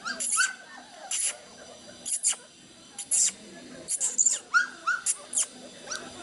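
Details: Black Labrador Retriever puppies in Madurai, Tamil Nadu, India: short, high whimpers and squeaky yelps come in scattered bursts, mixed with thin clicking and rustling noises between them.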